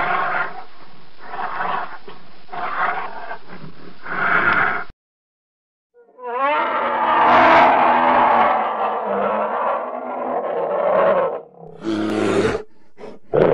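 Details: Polar bear growling in choppy bursts, then a brief silence, followed by a sustained loud roar with a wavering start, ending in short harsh grunts.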